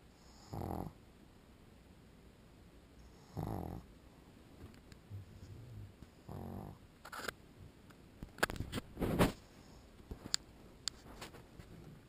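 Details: Sleeping pug dog snoring: two short, low rasping snores about three seconds apart, then a scatter of sharper clicks and scuffling noises in a quiet indoor space.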